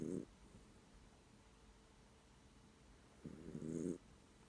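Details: Pet dog snoring in its sleep, eyes partly open: two brief grating snores, the second longer and rougher, separated by quiet hissing background.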